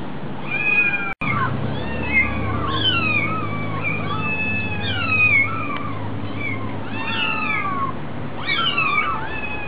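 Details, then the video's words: At a cat cafe, a very hungry kitten keeps up a stream of insistent meows. The mews are bright and bending, often overlapping, and break off briefly near the start. Constant low rumbling sits beneath them. "Kitten so hungry"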